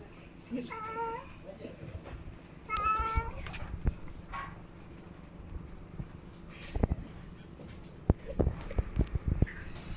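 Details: Domestic cat meowing twice in short harmonic calls early on, followed by clicks, taps and handling noises over a quiet indoor hum.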